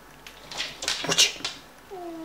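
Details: Oriental Shorthair cat attacking a Rottweiler, giving several sharp, breathy hisses in quick succession, followed by the start of a low wavering yowl.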